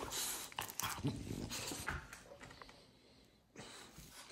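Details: French Bulldog indoors demanding attention, giving breathy snorting bursts and a soft whimper in the first two seconds, then quiet before another snuffle near the end; a woman speaks to the dog nearby.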